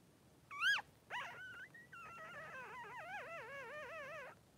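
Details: Newborn Blenheim Cavalier King Charles Spaniel puppy, one of two three-day-old boys in Pom-Pom's whelping pen, gives a sharp rising squeal, then a long wavering whine that bends up and down for about three seconds.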